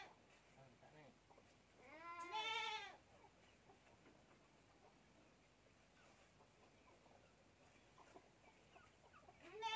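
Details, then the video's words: A goat kid feeding from a milk bottle lets out one strong, quavering bleat early on, then a long quiet stretch of soft rustling before a second bleat begins at the very end. "anak kambing || minum susu botol"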